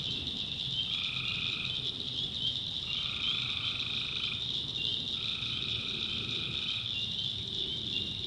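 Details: Nighttime swamp chorus of tree frogs in North Carolina backwoods, with three sustained buzzy notes, each lasting over a second, rising out of a continuous high-pitched trilling wall of calling frogs and insects.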